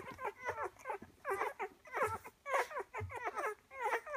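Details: Ten-day-old Rhodesian Ridgeback puppies nursing eagerly together: rapid little squeaks, whimpers and grunting suckling sounds in quick overlapping bursts.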